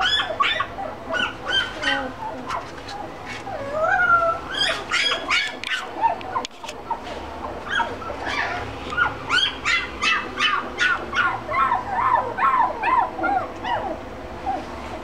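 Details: Mixed-breed dog kept in a pet shop in Shizuoka, Japan; a long run of rapid, high-pitched yelps and squeaky whines, repeated roughly every half second, with faint speech in the background.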